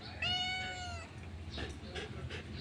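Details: Blue-eyed domestic cat called Miming, said to be afraid of dogs, lets out one drawn-out meow under a second long, a clear harmonic tone dipping slightly at its end, then quiet indoor rustling and soft voices.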